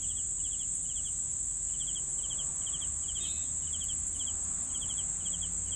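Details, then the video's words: Regular cricket chirps, short triple-pulsed bursts a little over half a second apart, over a steady high insect drone with a few faint ticks and a soft low hum. "CRICKETS SOUNDS"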